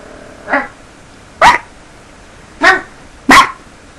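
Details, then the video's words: Dog barking in four separate loud, sharp barks spread over four seconds, the first softer and the rest abrupt and clipped, with a steady low hiss beneath. "More Barking"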